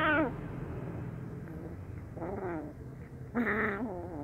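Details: Brown kitten, happy yet wary when handed fish sausage, utters a short falling meow, then two wavering, somewhat strained mews about a second apart, with low hum beneath.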